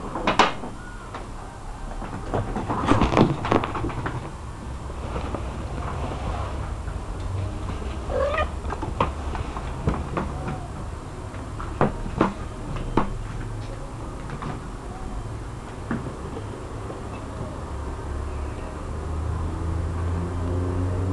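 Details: Cats calling with short meows and drawn-out wailing cries, mixed with knocks and clattering sounds throughout and a low background rumble.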